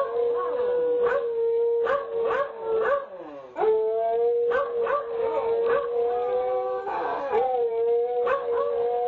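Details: Two beagles howling together in a duet, caught on a home nest camera; long sustained tonal howls with overlapping voices, broken by short barks and yips, one voice wavering above a steadier lower howl.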